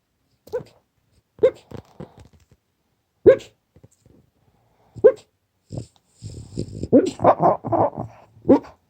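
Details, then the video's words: French Bulldog barking in its sleep and snoring: short muffled woofs every second or two, then a run of rough, rumbling snore-like grunts near the end. "Französische Bulldoge bellt im Schlaf, schnarcht"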